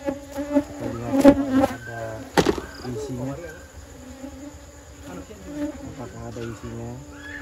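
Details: Honey bees droning while honey is cut from their nest in a village, an amateur job; bursts of loud humming early on with sharp knocks, then a softer, wavering buzz.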